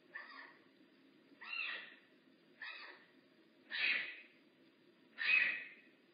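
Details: Makani, a bobcat in rehab at Big Cat Rescue, voices five hoarse, breathy mews at irregular intervals of about a second. The last two are the loudest, and a soft low hum runs underneath.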